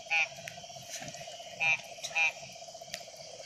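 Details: Wild frog at night giving three short, bright croaks separated by uneven pauses, set against a constant insect drone and a few faint clicks.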